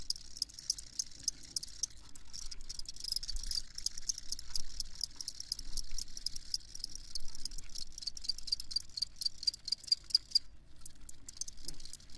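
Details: Crickets chirping continuously in fast, high pulses, with a brief clear run of evenly spaced chirps near the end and a faint low background hum.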